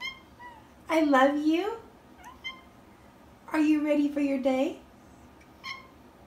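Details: Domestic cat indoors giving two long, plaintive meows about three seconds apart, each starting higher and sagging downward, with faint short sounds between and a quiet room background.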